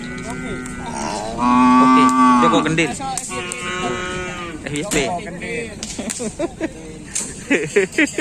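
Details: Racing bull at a Kerapan Sapi event: one loud, rich, sustained low moo lasting over a second, followed by jumbled crowd voices, music and clattering noise.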